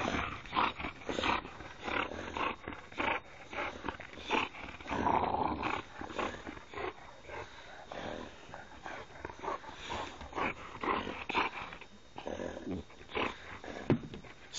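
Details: Three boxer dogs playing wildly together, a dense stream of rough growls, snorts and grunts with rapid broadband bursts throughout, a person's voice faintly in the background.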